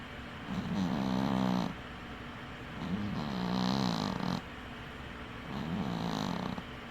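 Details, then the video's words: A sleeping dwarf cat named Winky, one eye left open, snores in three long rasping breaths spaced about two and a half seconds apart, each a buzzy low drone with a breathy upper hiss. "Snoring cat"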